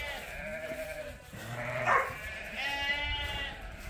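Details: Sheep gathered in a morning pile-up at Ewetopia Farms, waiting to be let out to pasture; several overlapping wavering bleats, mostly fairly soft, with one louder, brighter cry near the middle.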